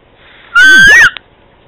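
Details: A single loud meow from a pet cat calling to Candy, about half a second long, tonal and harmonic with a gentle upward bend at the end, followed by a faint click and near silence.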